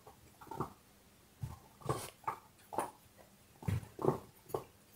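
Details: Dog chewing on a bone in short rhythmic crunches, about two bites a second, each a brief gritty burst separated by quiet gaps.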